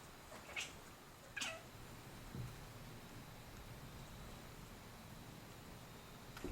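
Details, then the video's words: F5 Savannah cat making funny noises indoors while hunting for a bug, with an F1 Savannah cat helping; two short, high chirping calls a second apart, then a soft low grunt, in a quiet room. "Savannah Cat making funny sounds"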